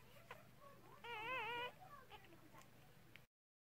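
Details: Newborn Cardigan Welsh Corgi puppy, one of six in a red merle mother's first litter in 2018, crying during the delivery indoors: a brief wavering, quavering squeal lasting about half a second, followed by softer squeaks and low human murmuring.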